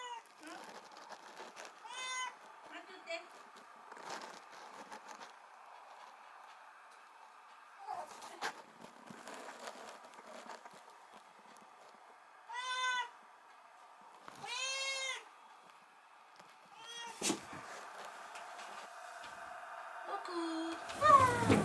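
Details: Former stray kitten, taken in on a rainy night and now a house cat, crying when the woman of the house leaves; several short arched meows spaced irregularly across the clip, mixed with human voices and household noises.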